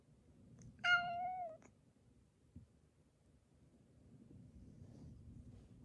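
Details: Affectionate younger domestic cat pressing for attention while his cat-flu-stricken companion is separated; one clear, sustained meow lasting under a second that tails off downward, followed by near silence and faint room noise.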